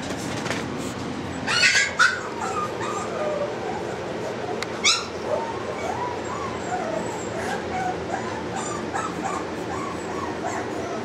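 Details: Boston Terrier puppies, ready to move to new homes, give thin high whimpers and short yips in quick bursts over a steady background hiss, with sharp clatters near the start and middle.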